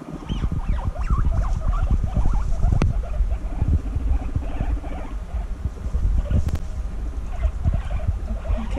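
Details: Female guinea pigs reunited after six months apart, bonding intensely; short high chirping squeaks come in scattered bursts over a steady low rumble of shuffling and movement.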